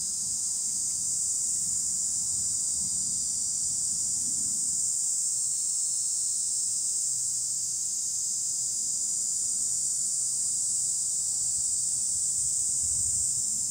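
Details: Continuous shrill cicada drone from trees, even and unbroken, over a soft low hum in the background.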